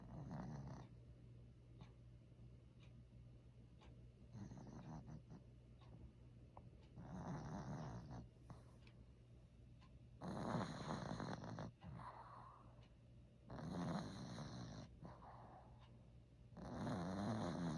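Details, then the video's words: Maltese named Joker, a male dog born 1 December 2015, snoring indoors; broad noisy rasping snores come in uneven bursts about every three seconds, with quieter breathing between. "최근들어 강아지가 코골이를 하네여.. 어디 아픈건가..."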